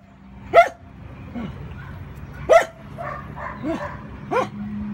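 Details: Four-month-old male puppy named Steffen playing with a big bone: sharp high barks near 0.6, 2.5 and 4.4 seconds, with softer yips and grumbles in between.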